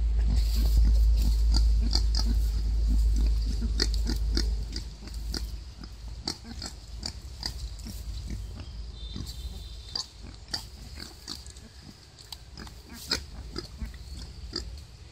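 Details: Wild boar mother delivering a litter of five piglets; steady, fairly regular short rasping grunts throughout, masked for the first few seconds by a strong low rumble that then drops away.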